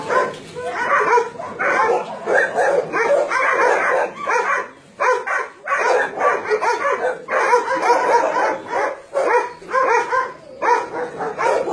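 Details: About 150 dogs, including Dobermans, Shar Peis, Chow Chows and Golden Retrievers, held at a Nonsan, South Korea, meat farm and puppy mill, January 2017. Many voices bark in rough, uneven bursts, with short gaps between waves of noise.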